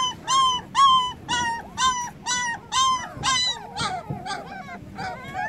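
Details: Puppies whose eyes have just opened, calling for their absent mother with high, harmonic yelps. Each yelp is arched and about half a second long, repeated roughly twice a second, then several overlapping, fainter cries follow.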